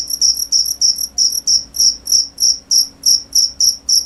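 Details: Cricket chirping in a steady series of short, high, pure-toned pulses, about three per second, each with a fainter overtone above; a faint low hum lies underneath.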